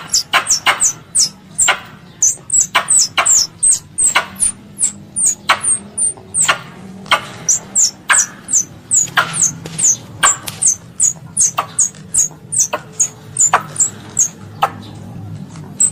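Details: Squirrel, described as a pest, calling its mother: rapid run of sharp dry clicks interleaved with high, thin, down-slurred whistles, roughly two or three per second, steady throughout with a faint low hum beneath.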